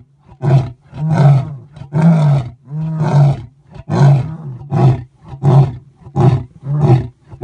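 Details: Male lion roaring at Thornybush Private Game Reserve in South Africa: a steady series of deep, short grunting pulses, roughly one per second, each a low throaty huff with breathy upper noise, ending a roar sequence.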